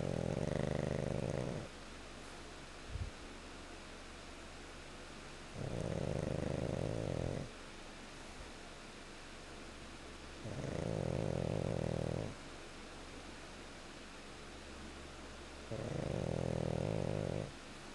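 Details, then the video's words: Pet pug dog asleep and snoring indoors: low, rumbling snores about two seconds long, repeated roughly every five seconds, with quiet breathing pauses between them. "Goose Snoring"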